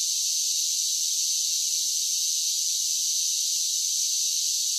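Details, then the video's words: Summer chorus of cicadas, an even, shrill buzzing wash that never pauses or changes pitch across the few seconds, heard alone without wind, birds or voices. "10 Hours of Cicada Sounds for Relaxation with Soothing Summer Nature Sounds"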